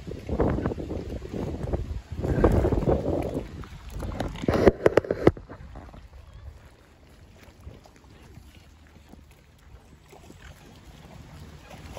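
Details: Low rumbling wind and water noise for about five seconds, then near quiet, with no clear animal sound.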